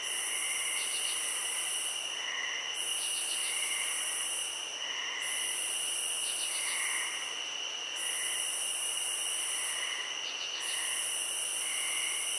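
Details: Field cricket chorus with a sustained high-pitched ringing trill and rhythmic bursts of harsher buzzing every two to three seconds, broken by short rapid ticking runs and faint, mellow low notes.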